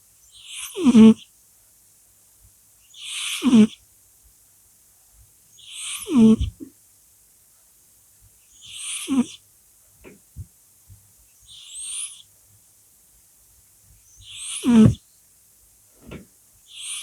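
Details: Sleeping house cat named Polya snores steadily, seven airy rasping breaths roughly every two and a half seconds, each carrying a small descending nasal whistle; faint soft clicks in the gaps.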